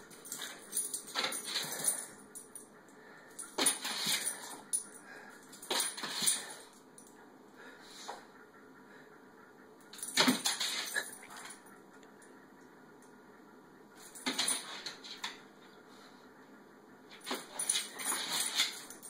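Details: Boston terrier mix chasing an infrared laser dot, going frantic: short, excited bursts of high whines and yips at irregular intervals.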